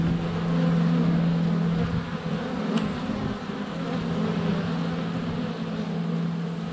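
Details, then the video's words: Dense droning hum of many honey bees flying around the hive entrance on a sunny February day, captured with a GoPro Hero 7 Black under a foot from the hive; steady, even buzzing, a sharp tap near midway. "4K Honey Bees - ambient video and audio"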